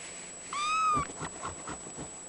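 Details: Ragdoll kitten, seal point mitted male, about three weeks old, gives a single thin, high mew that rises slightly and falls away.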